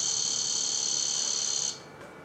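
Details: In Monroe County, Illinois, a cicada calling from the top of a cage beside a cemetery gives a steady, high, shimmering buzz that stops abruptly near the end.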